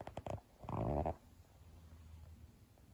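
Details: Mametarou, a pet cat on a diet, snoring contentedly in sleep with front paws twitching and whisker pads moving; a few soft clicks, then one rough, low buzzing snore lasting about half a second, followed by a quiet room.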